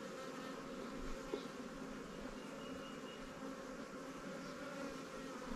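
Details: Honey bees in a newly captured swarm colony kept in Langstroth and Warre hives in an apiary, being checked while given resources from stronger hives; a steady, low, even buzzing hum fills the air, with no voices.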